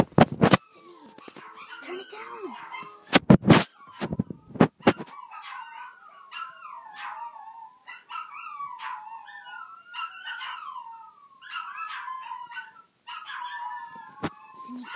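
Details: A little puppy howling indoors: after several seconds of a person talking and loud knocks, a run of short, wavering, high yips and howls repeats steadily to the end.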